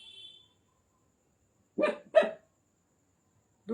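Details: Desi puppy from India letting out a quick pair of sharp yapping barks close together, then a third bark after a short silence; a person calls out just before the barks.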